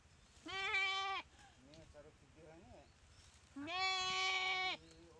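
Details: Goat attacked and paralysed by a Komodo dragon in a dry river at Komodo Village; two loud, harsh bleats about three seconds apart, with soft, low moaning sounds between them.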